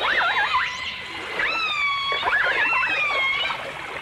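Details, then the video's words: Whistling dolphins and orcas, captured in 1989 in full dimensional stereo, trade wobbling, warbled notes and long level tones stacked with harmonics, several voices overlapping throughout against a faint watery background. "The Enchanting Sounds Of Dolphin Song (Dolphins & Orcas)"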